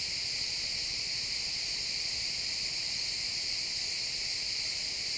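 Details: Chorus of crickets in a pine forest at sunset, many insects producing an unbroken high shimmering trill that holds steady throughout, with only quiet woodland background beneath.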